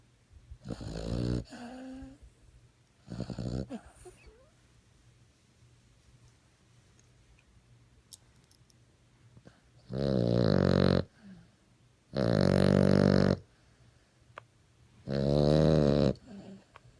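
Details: Snoring French Bulldog gives a couple of softer snorting breaths, then after a quiet pause three loud, harsh, buzzing snores about every two and a half seconds.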